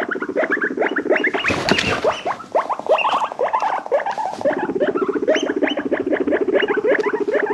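Guinea pig chattering and squeaking in quick, rising chirps, with shrill wheeking calls over a steady rumbling purr.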